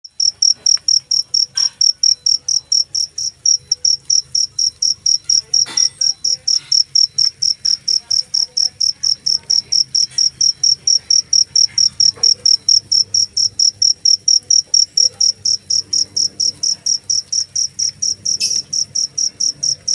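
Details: Cricket chirping steadily, sharp high-pitched pulses repeating about two or three times a second for the whole stretch, with a faint low hum underneath.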